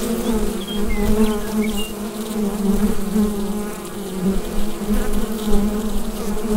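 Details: Bee hive buzzing, recorded with a Rode NT-USB microphone. The massed low hum holds steady with soft swells, and a few faint brief high chirps occur in the first seconds.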